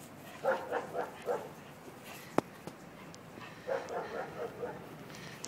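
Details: Bull Terrier playing in Ecuador, giving two bursts of short, rough, growly barks in quick series, four or five each, separated by a quiet gap with a single sharp click.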